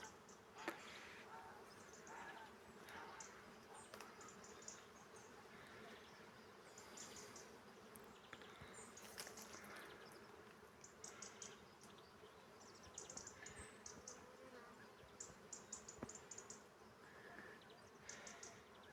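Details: Swarms of honey bees working a carob tree give a constant, even buzzing hum. Scattered crisp clicks and brief brighter buzzes from nearby bees break through the drone at irregular moments.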